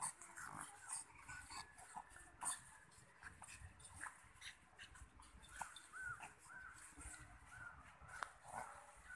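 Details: Pug mother with her puppy, giving soft, high whimpers and short squeaky whines in scattered bursts, with quiet snuffling and low rustling between them.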